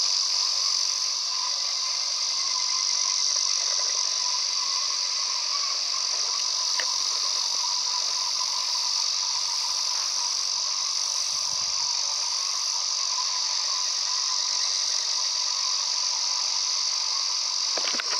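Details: High, ringing buzz of a male Ezo cicada heard on a mountain walk, continuous and dominant, with scattered faint clicks and soft low rumbling in the background.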